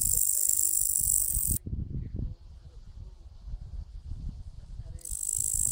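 A katydid calls with an intense, high, buzzy rasp, pausing for a few seconds before starting again. Low rumbling background noise runs throughout.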